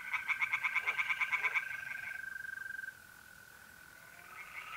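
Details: Tree frog at a pond in north-east Italy on an April night, giving a short run of loud rapid croaks that fades after three seconds, leaving the smooth continuous trill of mole crickets.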